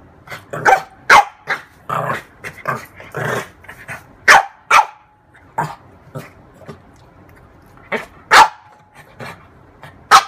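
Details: A female French bulldog, playing with her mirror image, gives sharp, irregular barks mixed with lower grumbling grunts and growls.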